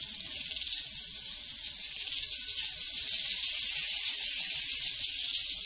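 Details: Prairie crickets fill the air with a bright, high trill. The pulses repeat about three times a second in a fairly even rhythm, and no cowbells stand out.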